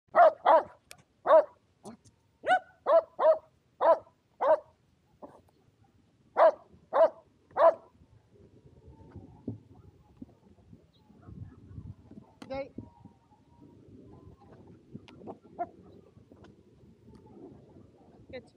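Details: Two Shetland Sheepdogs, Power and Beat, playing frisbee together outdoors in sunny weather on 23 February 2022 in Japan; a quick run of sharp, ringing barks, roughly one every half second for eight seconds, then quieter rustling and footsteps.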